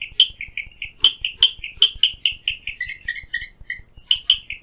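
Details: Loud, rapid clicking of a Clicking Stream Frog beside a window at Phillipskop Mountain Reserve, Stanford, Western Cape: dense sharp snapping taps, a brief lower-pitched stretch midway, then fast bright clicks again.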